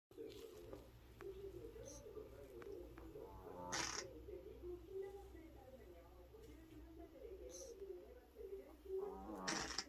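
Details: Sleeping female house cat snoring loudly, said to be louder than a person; low, wavering nasal tones run in uneven breathy bursts, with a few soft clicks and rustles in between.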